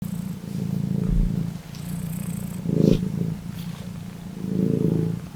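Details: Domestic cat purring steadily, a low rumbling drone with soft swells in loudness roughly every two seconds, a few faint clicks and rustles over it.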